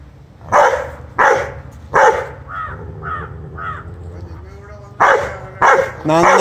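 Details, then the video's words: Year-old Rottweiler puppy in a fight with a monitor lizard: heavy barks about every second, a few softer higher yelps in between, human speech in the background. "Angry Rottweiler puppy against Monitor lizard"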